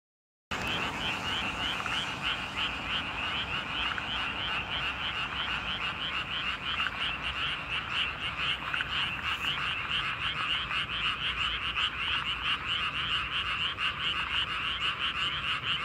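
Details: Frogs calling in chorus at night in a paddy field: a dense, continuous wall of rapid overlapping croaks and trills, pulsing steadily from start to end with no pauses and no other clear sounds.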